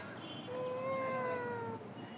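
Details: Cat meowing in Bangladesh, a single drawn-out tonal call rising slightly then falling over about one and a half seconds, with soft background hiss.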